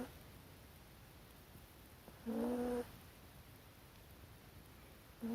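A corgi puppy snores with a steady, whistly hum that returns a few seconds later.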